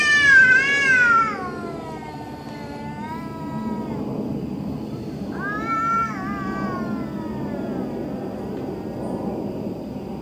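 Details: Eerie night-time cat noises: a loud, high, quavering yowl that slides downward and trails off, then after a pause a second, softer wavering moan, with low constant hum behind.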